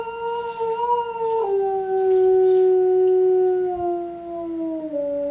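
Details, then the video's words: One unbroken howl from Yuki, a five-year-old male eastern timber wolf at Japan's Tokushima Zoo on a January afternoon; the pure, sustained tone steps down in pitch partway through and slides lower still at the close. "Wolf Howling シンリンオオカミ ユウキの遠吠え"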